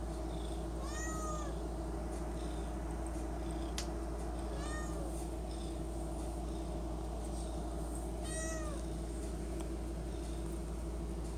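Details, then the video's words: Domestic cat indoors by the pantry begging for treats: three short rising-falling meows spaced about three to four seconds apart over a steady low household hum. "The cat that camp at pantry for friskies treats!!"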